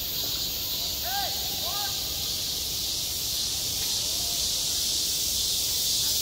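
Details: Cicadas singing at a playground in midsummer: a dense, steady high-pitched hiss fills the upper range without pause, while faint curved chirps sound briefly near the one-second and four-second marks.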